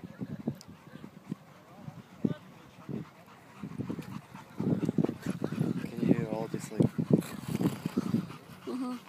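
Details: A three-and-a-half-month-old Siberian Husky puppy playing rough: low grumbling growls and snorts that build after a quieter start, with a short tonal whine among the busier rough-and-tumble bursts toward the end.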